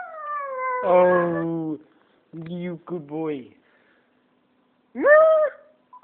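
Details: Pet Japanese Spitz howling along to a phone indoors: a long descending howl, then short broken yelping notes, and after a pause a brief arched howl.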